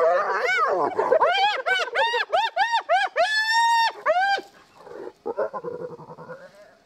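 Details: Spotted hyenas at a den in Kruger National Park, South Africa, as the family returns to a mother and cubs: a rapid run of arched, rising-falling whines, about two each second, then a long held wail and softer, lower murmurs.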